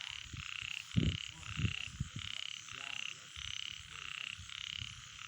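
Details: Nighttime frog calls: a rhythmic series of short, pulsed, rattling croaks repeated roughly every half second over a background chorus, with a few brief voices and knocks.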